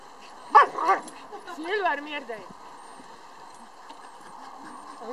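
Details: At a husky meeting in Naklo on 11 March 2012, a husky gives two sharp yelps, then a wavering whine with a low drawn-out tone underneath, as people talk nearby.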